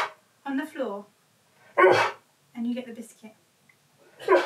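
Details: Husky talking indoors to demand play: short rising-and-falling harmonic yowls and a louder rough bark-like outburst, separated by pauses, with a person's voice nearby.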